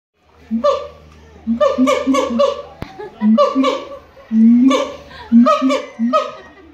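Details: Siamang singing at the Los Angeles Zoo: loud, harmonic, bark-like hoots in short bursts, separated by brief pauses, with one longer, drawn-out rising note near the middle.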